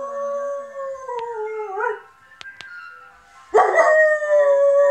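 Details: Saluki x German Shepherd dog howling at the ice cream van. A long, slowly sliding howl trails off with a brief upward waver, a few clicks follow in a quieter gap, then a second strong howl bursts in and holds steady.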